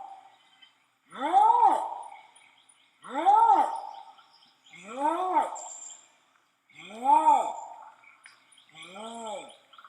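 Bornean orangutan long call: deep, rich pulses that swell up and fall back, repeating about every two seconds.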